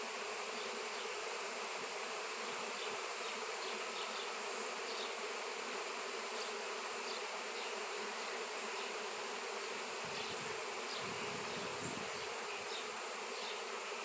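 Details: Massed honey bees swarming over a raw shungite rock, in a place where they had not been seen for years, keep up a dense, level buzz, with occasional faint high ticks and low rumbling near the end.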